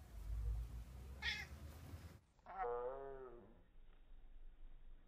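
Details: A male Bengal cat, when sexually aroused, gives a single long, drawn-out meow that rises and then falls, slowed down and deepened, and then humps the carpet.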